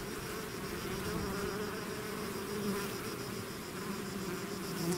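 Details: Buzzing of a bee swarm that has left its hive: thick, unbroken droning with a faint steady high whine above it, loudness holding level throughout.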